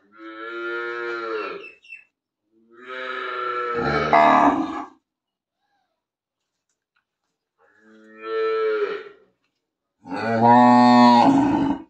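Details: Big cow in a village lowing in four long, harmonic-rich moos, each about one to two seconds, separated by pauses, with a quiet gap in the middle.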